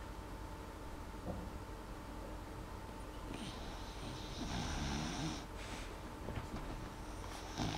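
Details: Molly the dog sleeping and not snoring very loudly: soft breathy snores, with hissing breath bursts gathering in the second half, over a steady low room hum.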